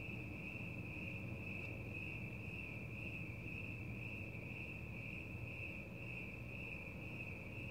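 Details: Crickets chirping outdoors at night: a steady, unbroken high trill holding one pitch throughout, with a faint shimmering pulse, over a constant low rumble of background noise.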